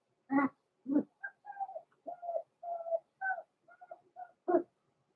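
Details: Indoor puppy pen of blenheim Cavalier King Charles Spaniels born November 14, 2022, pups Roman and Blue at Christmas; two gruff yelps, then a run of thin, wavering whines and squeals, ending with another rough yelp.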